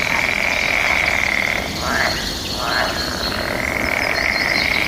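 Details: Frogs calling back and forth in a mating-season chorus, with bird song and natural ambience: a steady, high trilling drone that drops out briefly midway and resumes, with thin bird whistles above.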